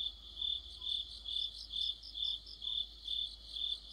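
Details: Cricket song in autumn beneath a streetlamp: evenly spaced high chirps about every half second, each a short pulsed burst, with a second insect voice trilling faintly behind.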